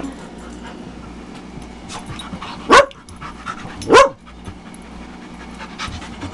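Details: During rough play at a dog camp with Tetra the Husky, Myla the Red Lab, Cole, Gypsy and Gracie, two abrupt, forceful barks burst out just over a second apart against a low hum of room noise and light movement.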